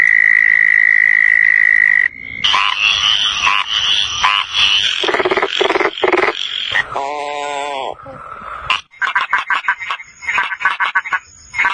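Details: Frog calls that switch suddenly: a long steady whistled tone, then loud rapid rattling bursts, a nasal harmonic croak, and closing runs of quick clicking notes repeated several times a second.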